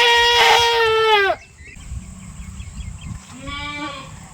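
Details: Goat with both eyes reddened, being treated: a loud, wavering bleat of about a second falling at its end, then a quieter short bleat, with a faint steady high tone in the background.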